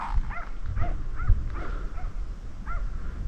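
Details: Distant dog barking from down the slope, probably with a shepherd and sheep in the area; a few faint, short barks in quick succession, then a pause and one more, over loud wind rumble.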